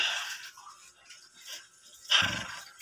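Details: Pet dog Aya, said to want to attack, lets out one short, harsh growling bark with a rough low buzz, after a stretch of quieter hissing household noise.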